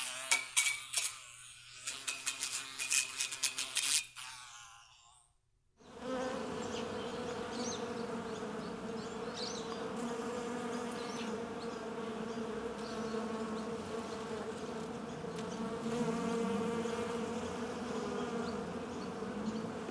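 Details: Sharp clicks and tapping over a low hum for five seconds, a brief silence, then a dense, blended droning buzz like several flies together, steady with slight rises and falls.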